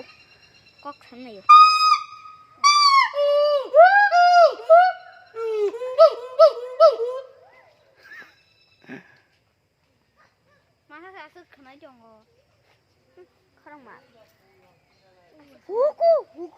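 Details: Gibbon at Sepahijala zoo giving loud, clear hoots that swoop up and down, rising and falling in quick succession for about six seconds. Softer scattered notes follow, then a final pair of rising whoops near the end.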